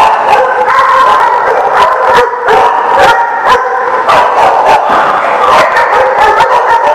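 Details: A dense chorus of dogs barking on April 27, 2018: continuous overlapping harmonic barks with no pauses, many sharp bursts layered over a constant din of voices.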